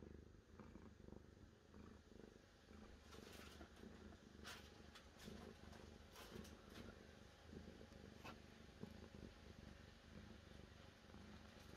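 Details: Cat purring on and on, a deep, evenly pulsing drone with occasional light ticks and rustling noises above it.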